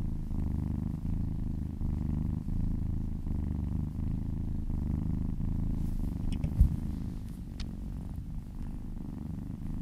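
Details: Domestic cat purring while being massaged, a steady low rumbling purr with fine pulsed texture throughout, a few light rustling touches near the end.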